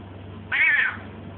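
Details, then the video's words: Talking domestic cat indoors, answering its owner's questions: one short rising-then-falling meow, strong and harmonic, lasting about half a second, with a steady low hum in the background. "Talking cat!!"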